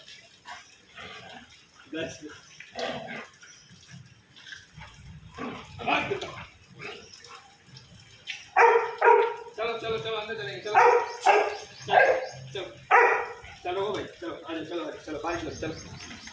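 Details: Lebu, a pet Labrador, enjoying the rain, gives a run of sharp, harmonic barks in the second half, about one every half second to second, after scattered quieter barks, with human speech mixed throughout.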